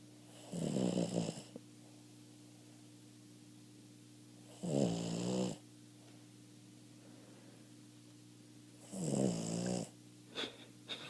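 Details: A 13-year-old male Boston Terrier, half asleep, snores in slow, rumbling breaths, each lasting about a second.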